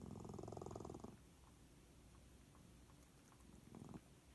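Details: Sleeping white cat making odd noises, perhaps sleep-talking or snoring: a rapid, pulsing, rattling purr-like burst for about a second, then quiet, then another short rattling burst.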